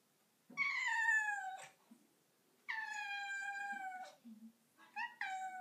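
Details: House cat sitting on a bathroom counter meowing three times: two long, loud, drawn-out meows that slide slightly downward, then a shorter broken meow, with brief quiet gaps between.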